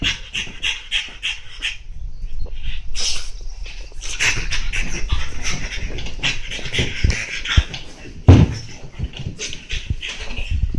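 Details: Monaka, a French Bulldog, romping wildly on a chair: quick rasping breaths and snorts in irregular bursts, with low thumps and a sharp knock near the end.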